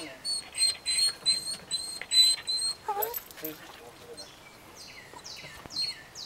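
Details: Doc, a six-year-old Miniature Pinscher just starting training, whines high-pitched in the background, disappointed not to join three other dogs going to and from the car; thin steady whine notes repeat about four times, then short falling squeals among clicks.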